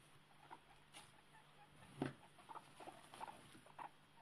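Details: Newborn guinea pigs just one day old, a little scared of the world, give soft, short squeaks, three brief chirps in the last two seconds, over quiet rustling and a low steady hum.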